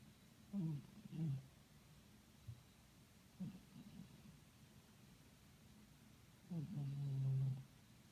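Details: Pet cat snoring, deep rough pulses broken into short grunts, then a long drawn-out rasping breath near the end, over faint steady indoor hiss.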